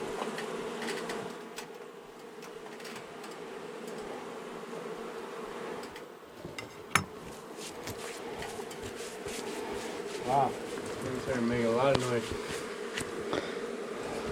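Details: During a March 6 rescue cutout, a honey bee colony living for years in a house wall grows angry after dark, producing an unbroken low hum with occasional taps and knocks and brief rising whines.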